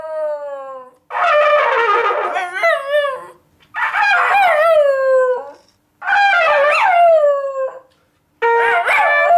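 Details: Schnoodle named Gary vocalizing indoors in a home 'conversation'. He gives four drawn-out, moaning yowls about two seconds apart, each bending up then sliding down in pitch, separated by brief silences.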